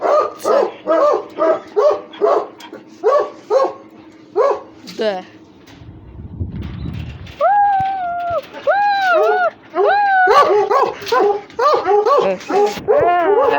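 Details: Russian Hounds at rough play: quick series of sharp yelps, a brief noisy scuffle, then several drawn-out whines that rise and fall, followed by further overlapping yelps from more than one dog.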